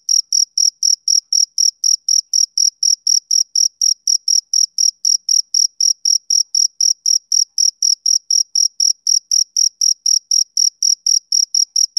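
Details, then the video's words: Male cricket calling through a summer evening with continuous shrill chirps, about four each second, strongly regular pulse after pulse, and no other animals, wind or voices heard. "Cricket Chirping Sound Effect"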